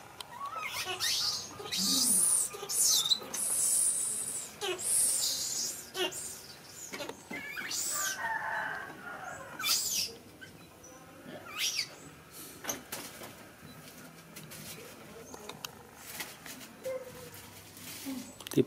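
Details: Monkey Miki cries while trying to hug another monkey, Niki: shrill, high-pitched squealing bursts over the first five seconds, then scattered sharp clicks and knocks with softer squeaks and faint background voices.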